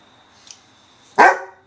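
A Weimaraner lets out one sharp, loud bark to demand attention after being ignored.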